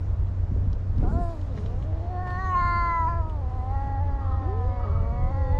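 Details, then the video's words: Two cats fighting: drawn-out, wavering yowls that rise and fall in pitch, one long moaning wail swelling in the middle and overlapping lower growling cries, over a constant low rumbling hum. "Two Cats Fighting"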